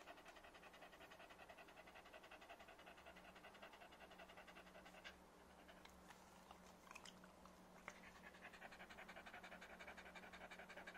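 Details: Happy Corgi panting hard and fast, regular breathy pulses near three per second, pausing briefly in the middle among small knocks and a faint steady hum, then resuming.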